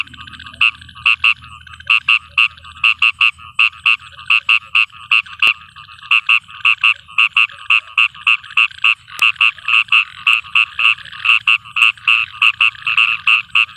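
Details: A frog calling at night in a farm field gives a long run of short, bright, pulsed trill notes at several per second, with faint low rumbling at the start.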